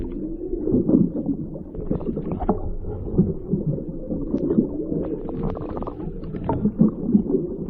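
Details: Underwater recording of a whale off Maui, picked up by a microphone lowered into the ocean during a whale watch: low, wavering tonal moans and short grunts half-buried in dense crackling and rumbling water noise.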